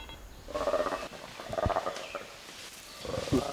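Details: Playback, in a Ugandan forest, of a black-and-white colobus's short alarm call, the one given when a chimpanzee attacks, to wild chimpanzees feeding nearby; the chimpanzees immediately set off to hunt.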